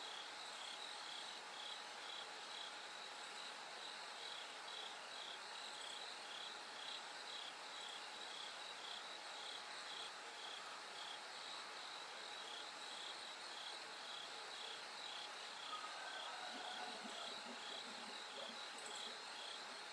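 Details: Bell crickets singing at night as it gradually grows brighter: a dense chorus of short, bright pulses near four kilohertz repeating steadily, with a higher shimmering band above and a faint continuous low hum underneath.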